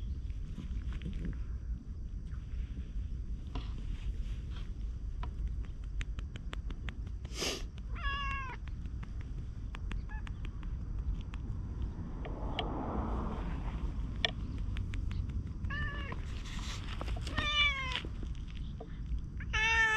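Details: Orange tabby community cat following and meowing after brief petting, recorded outdoors on a GoPro; scattered short meows, one near eight seconds and a quicker run of three toward the end, amid clicks, footsteps and low rumble.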